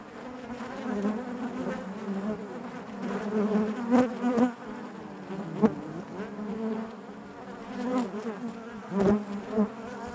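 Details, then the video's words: Steady droning of a honey bee colony within the hive, layered low hum with brief louder buzzes rising and fading every few seconds. "bees therapy hive natural buzzing sound"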